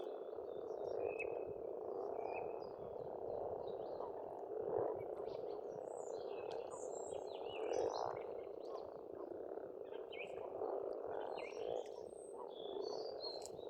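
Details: Pond frogs calling together in spring in Estonia, a constant rough croaking mass with occasional louder individual croaks, overlaid by many short chirping bird notes.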